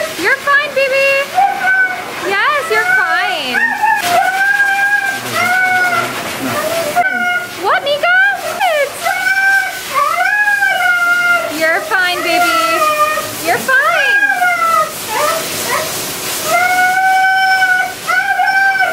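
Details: At the groomers, Siberian Husky Meeka keeps yelling in drawn-out, wavering harmonic whines that swoop up and down, with splashing water and a person's voice in the background.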